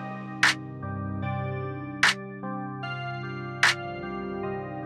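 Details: Sustained instrumental music with steady harmonic chords and three sharp percussive clicks spaced about every one and a half seconds, with no animal voice.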